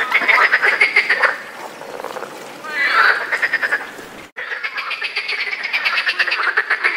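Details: A chorus of European frogs croaks in fast, rattling pulses during the mating season.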